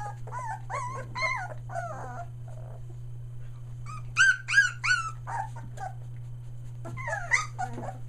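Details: Australian Shepherd puppies, one day short of three weeks old, near Mooresville, North Carolina, squeal in bursts of high, arching whimpers and yelps, some rising then falling, with brief pauses between flurries over a steady low electrical hum.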